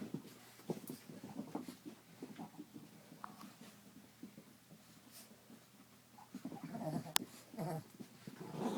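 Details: Puppies Face and Chief playing together amongst blankets on a bed indoors; low, rough growling grunts rise and fall irregularly, with a louder run near the end, over steady rustling of covers and a faint hum.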